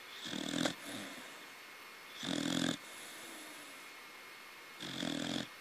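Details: Baby corgi snoring in its sleep, three loud rasping snores roughly two and a half seconds apart, each about half a second long, with quiet breathing between.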